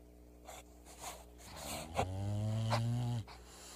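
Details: Female English bulldog snoring loudly in her sleep: soft snuffling breaths, then a long, low, droning snore with a steady buzzing tone lasting about a second before breaking off.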